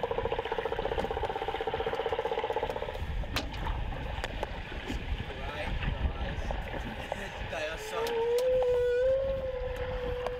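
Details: A single male humpback whale sings directly below a boat off Queensland's Gold Coast during the annual migration, recorded on a small hydrophone: a rapid buzzy pulsed phrase, then a long rising moan, exceptionally loud.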